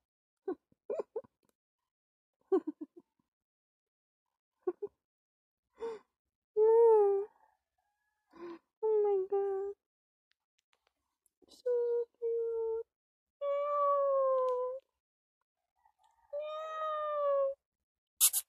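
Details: Kitten indoors making a run of soft, clipped mews that grow into longer, steadier meows of about a second each, several held level or gently falling, with a sharp click at the close.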